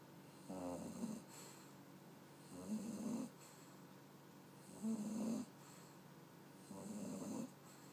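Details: Jake, an English Bulldog puppy, snoring while trying to stay awake: four rough, rasping snores, each about half a second to a second long, repeating roughly every two seconds over a steady indoor room hum.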